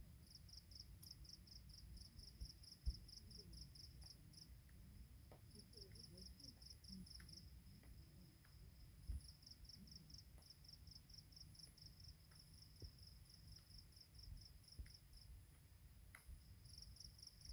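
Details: Dawn on a mountain path at Pearl Hill, Penang: an insect chorus keeps up rapid, evenly pulsed chirping in two thin, very high tones trilling in bursts with brief pauses, over a soft low rumble and faint clicks.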